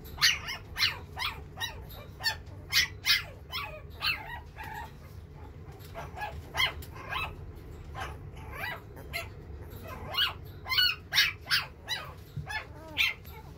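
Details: Silver-coloured male puppy from a breeder, giving a long run of sharp, high yapping barks at roughly half-second intervals, with brief whiny squeaks mixed in over a faint low hum.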